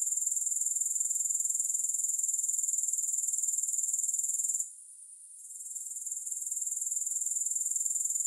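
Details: Steady, high-pitched grasshopper chirring, free of music, beating in rapid even pulses of about four per second. A short gap of under a second falls past the midpoint before the buzzing returns.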